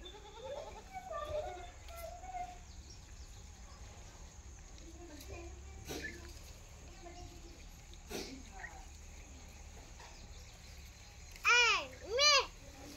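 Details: Goat on a farm gives two loud, wavering, quavering bleats close together near the end, after a stretch of quiet talking and faint background sounds.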